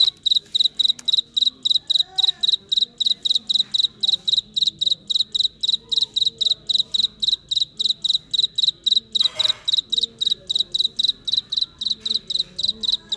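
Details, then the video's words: Cricket calling in real life: a shrill, high-pitched chirp repeated steadily several times a second without pause, with faint people talking in Vietnamese in the background and a brief rustling thump near the end. "Cricket insects sound Effect"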